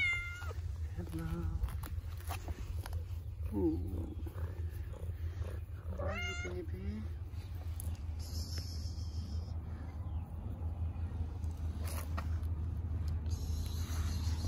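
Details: Thin ginger cat, hungry and being fed: several short meows, some rising and wavering, in the first seven seconds, over a steady low hum and quiet human speech.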